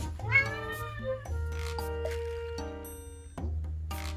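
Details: Rescued red tabby house cat, hungry and waiting to be fed, gives a short rising meow early on, then quieter calls under continuous background music with sustained tones and occasional voices.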